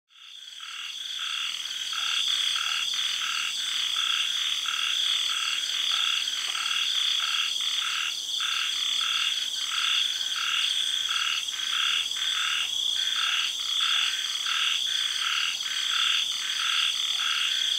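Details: Frogs calling at night in a tropical garden in Thailand after the early rains: a steady run of short croaks repeated more than once a second over a dense, high, ringing chorus of cicadas and other insects.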